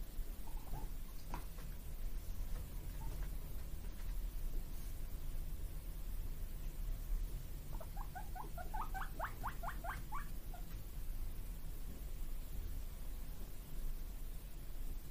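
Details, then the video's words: Pet guinea pigs, two brothers born in March 2022, eager for vegetable treats, give a brief burst of fast, rising squeaky "puipui" calls midway, tightly repeated for about three seconds, with quiet room noise and light taps before and after. "【鳴き声】野菜欲しくてPUIPUIまつりのモルモット【ぷいぷい】Guineapigs barking"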